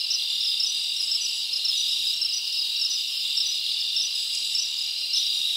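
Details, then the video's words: Summer forest at night filled with chirping crickets; a steady high-pitched trilling wall with short brighter chirps repeating about every half second on top. "Live Crickets Natural Sound"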